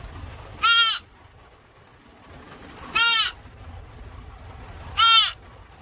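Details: Rescued deer fawn bleating three times, at roughly two-second gaps: brief, piercing, nasal cries with a bent, arching tone against quiet background hiss and faint low rumble.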